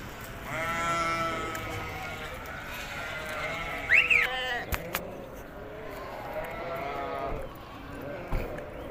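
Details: Hisori ram in Tajikistan, recorded 20 May 2023 on a trip to the summer pasture: a long wavering bleat, then a higher rising-falling bleat, with background noise and sharp knocks.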